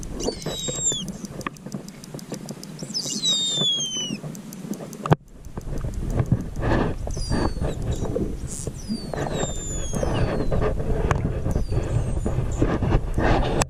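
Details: Distressed pilot whales, some of 500 stranded in a mass stranding at Macquarie Heads on Tasmania's west coast, recorded underwater by rescue body cam. High whistles sweep downward in the first seconds, with dense clicking pulses and churning underwater noise.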